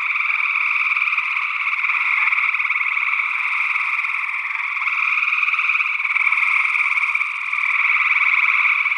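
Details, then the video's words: Northwest Wisconsin gray tree frogs in early June 2022, stereo condenser recording; a constant wall of rapidly pulsed trills from many frogs, steady in pitch, with gentle rises and dips in loudness over nine seconds. "Gray Tree Frog Calls"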